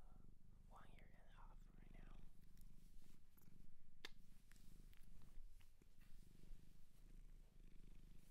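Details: Cat adopted from a shelter in Japan purring in a small room: deep continuous rumble throughout, with whispered words at the start and a few soft taps.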